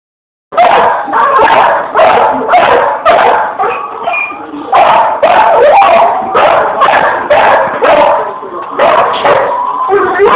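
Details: Pit Bull dog playing with a fan, barking in rapid, loud bursts roughly every half second after a brief silent start, with some higher whining tones between barks.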